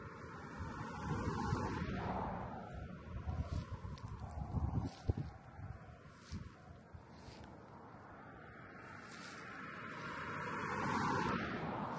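Steady, rumbling wind buffets the microphone throughout, with no clear animal calls standing out.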